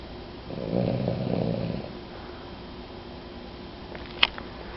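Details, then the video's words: Sleeping pet dog Jewel gives a single rough, low snoring breath lasting about a second, then quiet breathing, followed by a brief sharp click near the end, indoors. "Jewel the Snoring Dog"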